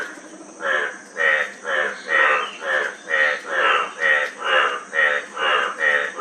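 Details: Frog croaks repeated steadily about twice per second, each a buzzy pulsed note, very even rhythm over a faint continuous high hum.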